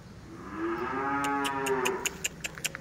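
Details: Tame cattle at a farm in Mangunsari give one long, drawn-out moo that swells and then fades, with faint clicks and knocks afterward.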